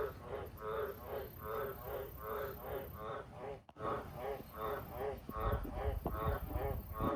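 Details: Loud croaking of wild Australian green tree frogs, Litoria caerulea, near farm sheds and cattle water troughs after dark: rich, low harmonic croaks in a regular train, about one every second, with a brief dropout midway and low rumbling underneath.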